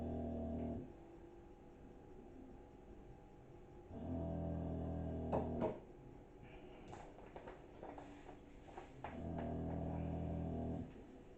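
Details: Butch, a nine-year-old English Bulldog, snoring in the background indoors while homemade wine is made: low, buzzy, rumbling snores in long bursts repeating roughly every four to five seconds, with faint clicks and handling noises between them.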